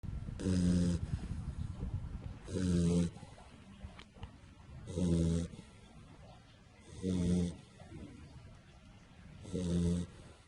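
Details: Sleeping pit bull puppy lying belly up, snoring: five low, rasping, harmonic snores, each about half a second long, repeating roughly every two and a half seconds, with quiet breathing between them in a still indoor setting.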